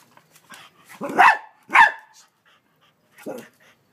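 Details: Frightened pet dog in Australia trying to bite a huge mantis, giving three short, harsh barks, two close together and one after a pause, with quiet sniffing and panting between.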